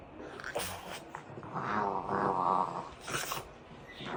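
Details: French Bulldogs making funny noises while wrestling in play indoors; a drawn-out throaty grumbling growl rises mid-clip between short snorting bursts.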